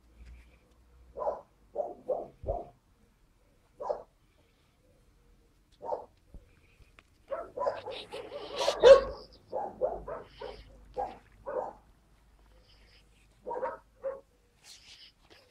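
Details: Young Skye Terriers recorded 5 June 2016 bark in short high yaps, singly and in quick runs, with a busier burst of overlapping barks and a sharp clatter near the middle.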